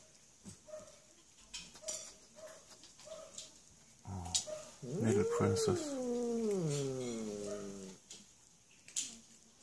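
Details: Sina, a female cat living in an animal shelter in Germany, asked whether she is still hungry, gives one long, drawn-out meow that rises then slowly falls, after a few soft quiet sounds in a small room.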